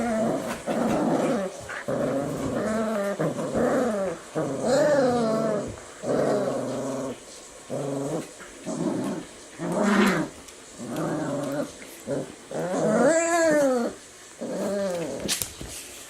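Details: Four-week-old Eurasier puppies at play, growling in bursts of about a second with short gaps, some rising whiny yelps mixed in, during counter-conditioning to thunderstorm sounds using fun and games.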